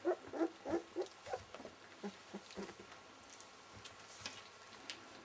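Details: Welsh Springer Spaniel puppies, 19 days old, give a quick run of short squeaky whimpers through the first second and a half, then softer scattered squeaks amid light shuffling and patter.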